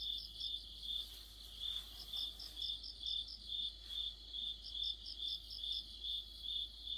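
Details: Mid-autumn cricket chorus: evenly spaced high chirps repeating a little over twice a second, joined by occasional short bursts of a higher, faster pulsing trill; low steady background hum.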